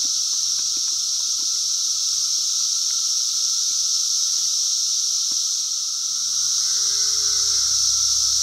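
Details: A loud chorus of cicadas on a farm in 2016: a continuous high-pitched electric hiss over a lower steady whine, dipping slightly in volume near the end as a low engine-like hum and a rising tone come in.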